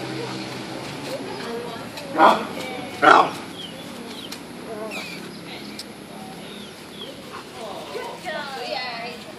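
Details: Macchi, a German Shepherd, during bite training gives two sharp, loud barks about a second apart, followed by quieter background noise.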